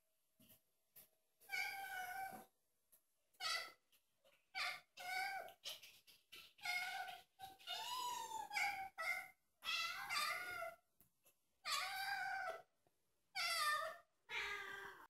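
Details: Domestic cats, several pets in a funny compilation, giving a long run of loud, drawn-out meows, about a dozen in fifteen seconds. The calls are wavering, harmonic-rich and nasal, with some bending up and down in pitch. Short silent gaps separate them indoors.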